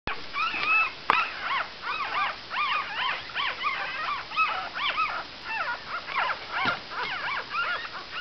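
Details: Litter of five-day-old Cavalier King Charles Spaniel puppies; many overlapping thin, squeaky whimpers, each a quick rising-then-falling arch, come in a near-continuous chorus with a faint steady hiss behind.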